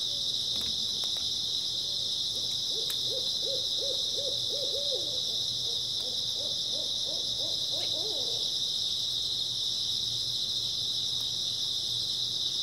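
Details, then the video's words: Grass insects chirping through an early autumn night as a dense, even high whine, overlaid by a long series of rapid low hooting notes in the first eight seconds and a few clicks. "풀벌레 소리"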